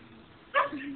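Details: An 11-month-old female Siberian Husky, taunted by a cat on a fence, barks at it: a single sharp bark, bright at the onset, dropping into a lower tail.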